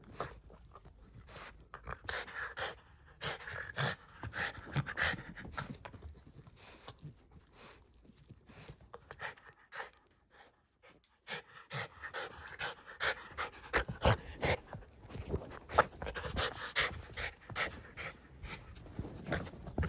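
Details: Indoors, Shiba Inu Ranmaru pants hard and fast after finding his sister under a blanket on her return from three months away, with brief quieter stretch and shuffling movement noise.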